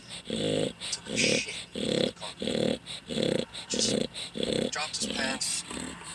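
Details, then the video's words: A loud snoring dog gives rough, low, throaty breaths in regular half-second bursts, close together, with brighter hissy, airy noise on some breaths and a brief higher whining sound near the end. "dog snoring so loud"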